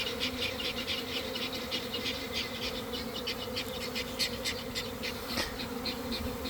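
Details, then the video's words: Honey bees pouring out in a swarm near an empty hive box set in a garden, early afternoon after cold damp weather; dense droning hum with crackling, flickering higher buzz from many passing wings. "Catching a Swarm in Real Time!"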